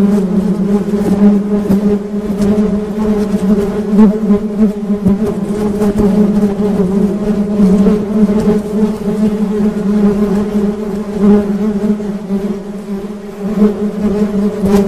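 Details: Steady low hum from honey bees running throughout, harmonics layered above the main tone, loudness fluctuating gently as the swarm buzzes on.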